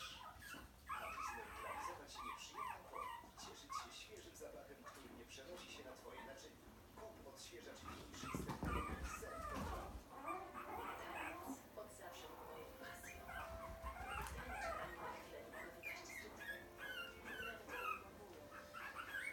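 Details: Puppies giving high, wavering whimpers and short yips in quick irregular bursts, mixed with a person talking and household noise.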